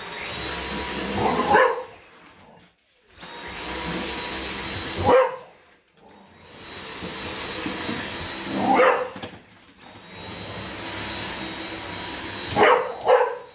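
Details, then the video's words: English Bulldog named Hazie reacting to a running vacuum cleaner at home, letting out sharp barks at irregular intervals, sometimes two in quick succession, over the steady whine of the vacuum. "Hazie the english bulldog and the vacuum"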